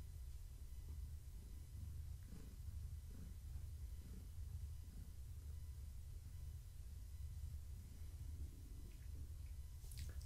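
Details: Gaia, a pregnant long-haired tabby cat, purring in the evening while being petted and scratched. A steady, deep, low rumble runs unbroken through the whole stretch, with faint rustling above it.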